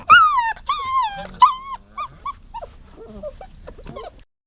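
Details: Dog giving a few loud, clear whines, each a rising-then-falling tone, the first three strongest, fading into softer, shorter whimpers before stopping.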